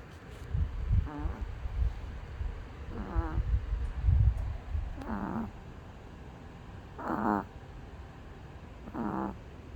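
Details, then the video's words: Sleeping male dog snoring: brief nasal harmonic snores about every two seconds, sliding downward at their ends, over a rumbling low background of handling noise and room sound. "his snoring"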